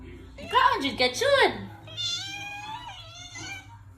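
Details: Khao Manee cat indoors asking for cat food, giving a quick pair of arched meows followed by a longer, wavering meow, with a person speaking and faint music behind.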